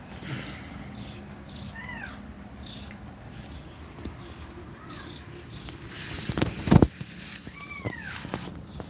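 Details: Domestic cat nursing her kittens indoors, breathing fast while feeding them milk; three short, high, thin mews bend up and fall away at spaced intervals, over low rustling and a loud bump near the end.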